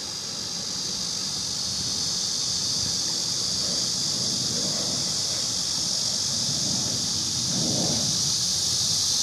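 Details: Cicada drone, a continuous shrill hiss sustained throughout, over a low rumbling background with faint soft thuds rising and fading midway and near the end.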